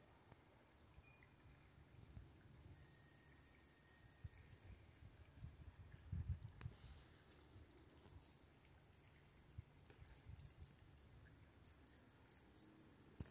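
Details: Crickets at night near running water, a dense high-pitched chirping pulsing several times a second, with a second, higher chirping voice joining in at times over a soft low rumble.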